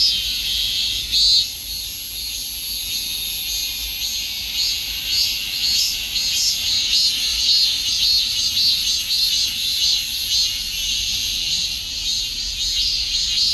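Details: Continuous shrill cicada drone, a thick high-pitched hiss with faint rhythmic surges roughly every half second, unbroken for the whole stretch and nothing else clearly heard.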